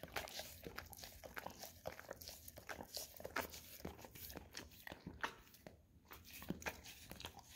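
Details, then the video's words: Indoor Golden Retriever working its tongue over a peanut-butter-covered Orapup tongue-cleaning brush: sticky smacking, soft scraping and licking clicks in a steady uneven stream, no other sounds. "Dog Licking Orapup Tongue Cleaning Brush - Golden Retriever"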